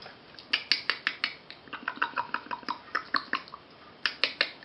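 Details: Frisky puppies at play give a rapid run of short, high-pitched yips, about a dozen sharp bursts in quick succession, a brief pause, then three more yelps close together near the end.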